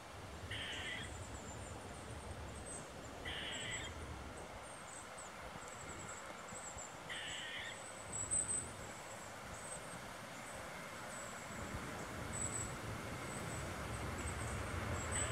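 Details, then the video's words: An Eastern gray squirrel gives alert barks after spotting people on the trail, having earlier set other squirrels into commotion; three short raspy barks spaced about three seconds apart, with a constant high hiss and low background rumble. "Eastern Gray Squirrel Barking"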